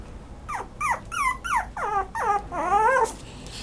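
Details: Toy poodle crying in a close series of about eight high whines, each bending downward, growing longer and more drawn out toward the end, with a final wavering whine.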